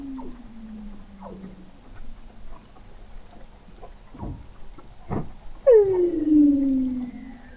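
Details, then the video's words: Recorded November 2017 21 m below the sea ice of McMurdo Sound, Antarctica, Weddell seals produce a low falling glide, sharp knocking pulses, then a loud harmonic-rich descending whistle easing into a lower sustained tone. "Song of the Antarctic Weddell Seal"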